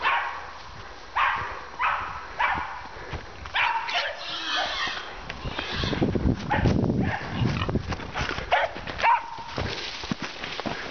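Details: A male Fox Terrier gives sharp, repeated barks amid rustling and noisy commotion while hunting wild boar.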